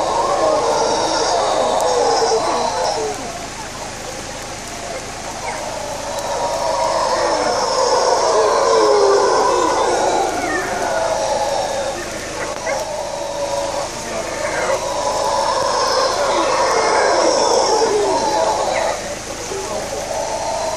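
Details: In Panama, a troop of howler monkeys, including a mother carrying a baby on her back, roars together in deep, rasping waves that swell and fade over steady rain.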